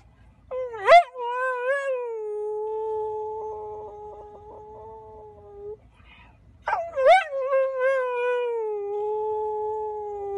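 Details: ['Golden Retriever, a male dog, gives two long howls, each opening with a sharp upward yelp and then holding a flat, steady tone for several seconds before tapering off.']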